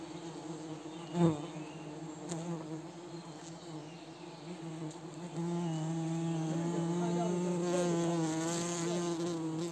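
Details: Himalayan cliff honey bees buzzing as villagers in Wui village harvest honey from the cliffs; a steady low droning hum with layered overtones that swells louder after about five seconds, with a sharp knock near the start.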